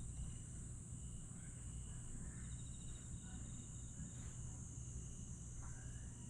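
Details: Summer-night grass insects in Aewol, Jeju, 22 July 2022, keeping up an unbroken shrill buzz with short pulsed trills. A few faint voice-like or other sounds come and go against a steady low rumble.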